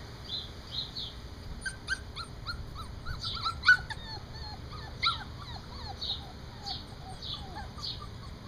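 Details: Four-week-old standard poodle puppies playing outdoors on a concrete patio deck, giving a run of short high whimpers and squeaky yelps, rising and falling, several in quick succession, over a steady background hum and faint chirping.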